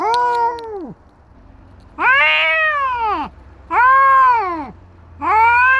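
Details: Stray street cats, a tabby drilling a white cat: loud drawn-out yowls, each about a second long, arching up then sliding down, four spaced by short pauses, over faint low background hum.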